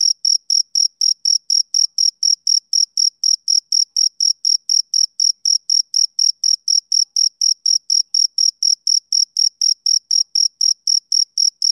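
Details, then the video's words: Rhythmic summer-evening song of a male cricket: a long, unbroken train of bright, high chirps, about four each second, extremely regular, with no wind, voices or other animals. "Cricket Chirping Sound Effect"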